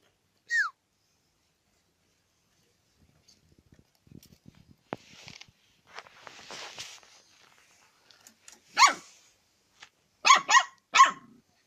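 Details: Dog wanting to eat chicken: after a brief falling squeak and quiet shuffling noises, a single harsh bark comes, then a rapid run of three barks at the end.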